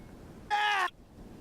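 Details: A very angry desert rain frog gives its defensive war cry, one short, shrill squeak, bright and slightly falling, like a squeezed dog toy.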